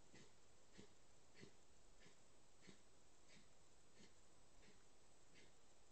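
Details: A red fox, caught on a trail camera in the Gressoney valley, Aosta Valley, Italy, gives short, breathy, huffing calls repeated steadily about every half second.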